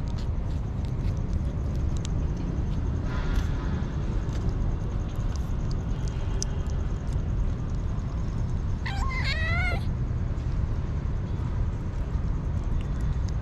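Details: Hungry street kitten giving two short, wavering meows near the end, each bending up and down in pitch, over a constant low rumble of background noise.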